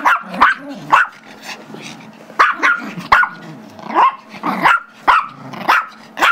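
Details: Two pet dogs wrestling over a squeaky toy on Feb 10, 2011: Gizmo, the five-year-old Chihuahua/Yorkie mix, gives sharp high yaps in quick pairs while Tigger, a two-year-old Yorkie, holds the toy.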